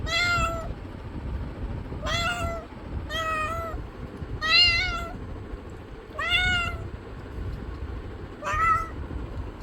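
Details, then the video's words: Cat giving six short, clear harmonic meows at irregular intervals of one to two seconds, each slightly rising then falling, with a constant low-pitched background hum throughout. "Cat Meowing Sounds"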